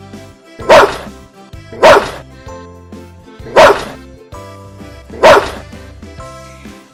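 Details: A Dobermann, a breed that arose in Germany around 1890 as a companion and guard dog, gives deep, loud single barks spaced a little over a second apart, over background music.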